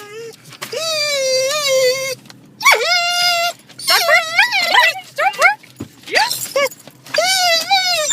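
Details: An excited female dog arriving at the dog park gives long, wavering, yodel-like whines and yowls that slide up and down in pitch.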